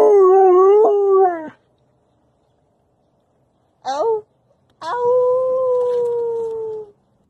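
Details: Young wolfdog puppy, between five weeks and four months old, howling: a wavering howl of about a second and a half, a brief rising yelp, then a long steady howl slowly falling in pitch over two seconds, in a quiet room.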